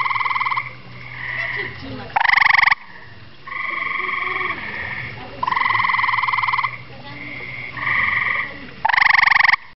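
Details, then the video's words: Camouflaged gray tree frog calling very loudly, giving loud, musical pulsed trills, each lasting one to two seconds, repeated in quick succession. "Camouflaged Gray Tree Frog calling"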